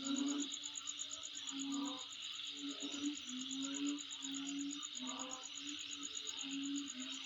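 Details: Insects calling around a home: a steady, dense high buzzing hiss with a faster pulsing trill above it, running without pause, while low mellow tones repeat every second or so underneath.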